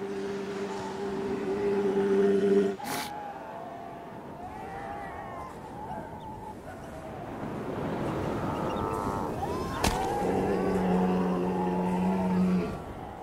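Walruses in a colony give long, low droning bellows and wavering groans, with sharp knocks between them.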